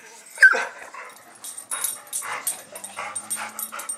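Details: Puppies calling indoors, a sharp high yip near the start followed by softer whimpering yips and scratchy movement, with a person giving commands nearby.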